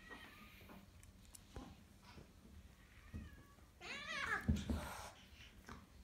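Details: Exotic Shorthair cat at a cattery housing cats and kittens; one drawn-out harmonic meow rises and then falls late in the recording, with faint indoor background noises before it.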